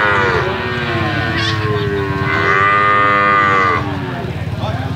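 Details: A calf moos continuously, a sustained, wavering nasal call that swells in the middle, with a lower overlapping moo underneath and a faint fading tail at the end.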